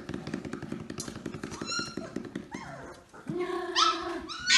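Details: Samoyed puppies called to play by rhythmic thumping; a run of regular thumps, then high, rising and falling whines and yelps from the puppies.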